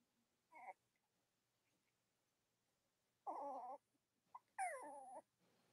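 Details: Cavalier King Charles Spaniel puppies with their nursing mothers on a chilly Monday morning: three scattered whimpers over several seconds, the last one a louder downward-sliding whine.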